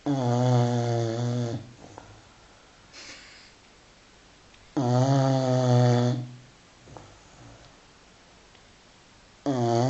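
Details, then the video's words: Sleeping five-month-old Continental Bulldog Filby gives rhythmic snores indoors, three deep buzzy inhalations roughly every four to five seconds, each lasting over a second, separated by softer airy exhales. "Filby im Schnarchmodus"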